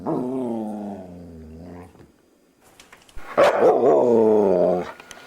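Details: Luca, the foster dog known for being talkative, makes a long, low, throaty moan that falls slightly. After a pause comes a sharper onset and then a second sustained, warbling groan.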